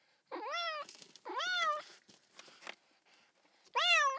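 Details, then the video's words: Three short, insistent cat meows, each starting low, jumping up and holding before sagging down, with faint softer mewing sounds between the first two and the last. "Cat meow sound kittens and cats meowing sounds"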